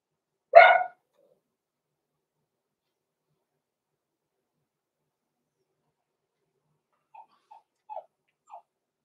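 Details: Six-week-old blenheim Cavalier King Charles Spaniel puppies, Roman and Blue, born November 14, 2022, in a home puppy pen: one sharp, harmonic-rich bark, then a long quiet stretch with a few faint short squeaks near the end.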